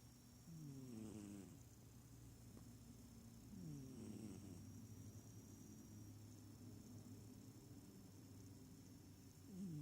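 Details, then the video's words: A small cat snoring while asleep, not purring: low harmonic rasping breaths swelling at about one, four and nine seconds over a steady low hum. "Snoring smallcat"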